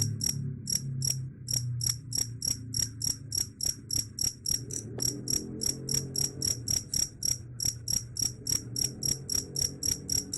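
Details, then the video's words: Cricket chirps, described as able to chase off rats: bright high-pitched pulses repeated rapidly, nearly four per second, in an unbroken string above a low background rumble. "Suara Jangkrik _ Bisa Usir Tikus"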